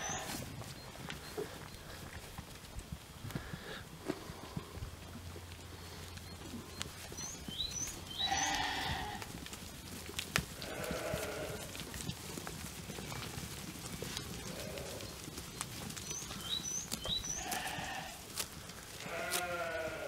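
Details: Young Jura sheep, about twelve months old, on pasture with a breeding ram recently added to the flock. Several harmonic bleats from different animals are scattered through the clip, mixed with knocking and trampling noises and brief high chirps.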